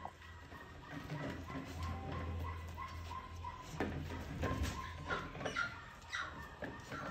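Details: Bac Ha dogs in Lao Cai, Vietnam, giving thin, wavering whines and whimpers in short bursts around mid pitch, set against a steady low hum and scattered rustling and knocking.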